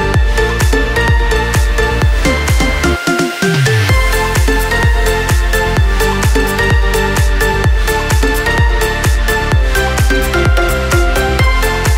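Electronic dance music with a heavy, steady beat and a brief falling sweep; no animal sound.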